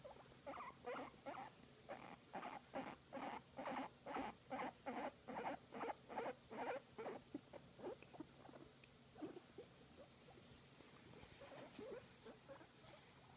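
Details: Guinea pig being massaged and enjoying it, making a rhythmic series of short, soft squeaking pulses about twice a second that fade out after eight seconds, followed by scattered faint chirps.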